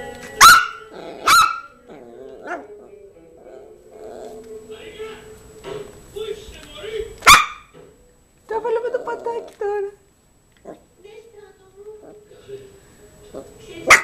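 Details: Yorkshire terrier Zizel playing with her new mouse toy gives a few sharp, high, short barks at irregular intervals, about four across fourteen seconds, with a person talking softly between them.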